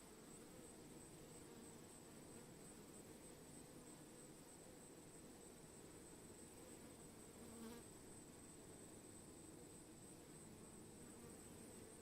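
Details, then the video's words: Swarming honey bees producing a dense, continuous low buzz, steady throughout with a sustained hum and no clear breaks. "Sound Swarming bees"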